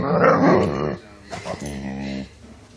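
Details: Pet dog indoors making strange noises: a loud, rough, rumbling growl-like moan for about one second, then a short pause and a second, softer, steady grumbling moan.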